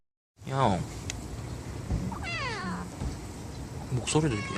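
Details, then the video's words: Tiny stray kittens, four siblings born in a residential area near a bus terminus: short high thin mews, a falling cry, then another later, over a steady hum and a person's low voice. "꼬물꼬물 작고 귀여운 길고양이 아깽이 4남매"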